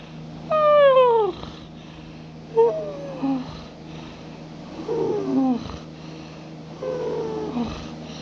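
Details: Domestic cat asleep, snoring and purring: a sliding whine that drops in pitch, then softer, uneven squeaks and murmurs, with a constant low background hum.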